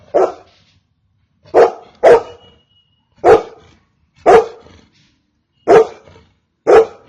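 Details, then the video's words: Repeated barks from a Golden Retriever, seven short loud woofs over about seven seconds, two of them in a quick double, the rest at uneven intervals of roughly one second, against a silent background. "Golden retriever barking"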